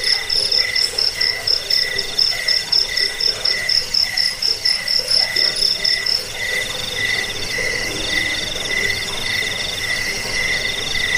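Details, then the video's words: Cricket chorus intended to drive off rats, help people sleep and train caged birds: bright high trills pulse continuously, the top band fading after about six seconds while lower chirps keep repeating evenly. "Suara jangkik pengusir tikus pengantar tidur"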